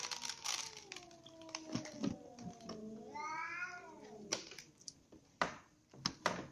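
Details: Ginger cat, kittens, a baby kitten and the mother cat eating dinner together; drawn-out meows, one rising and falling in a wavering arc, amid clicking and crinkling eating noises.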